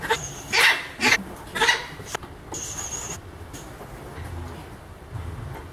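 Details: Milette, an orphaned baby howler monkey, objects to her care at the veterinarian: three short, harsh, broadband cries in quick succession within two seconds, then quieter background with faint handling noises.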